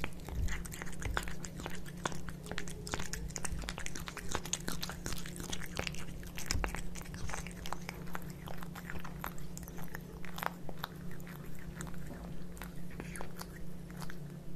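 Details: Two pet cats, Kitkat and Leo, eating tuna fish wet cat food indoors: wet smacking and crunchy bites in an uneven rhythm of about seventy per minute, with sharp clicks over a steady low hum.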